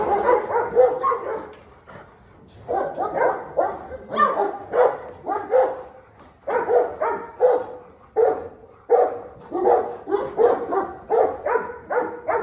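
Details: Dogs fighting in a frenzied clash. Harsh, throaty barking and snarling comes in rapid clustered bursts throughout, with brief lulls around two and six seconds and a faint human voice.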